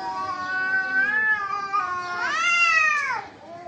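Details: Cats fighting give drawn-out, harmonic-rich yowls that waver in pitch, then swell into a louder, rising-and-falling wail before dropping away near the end.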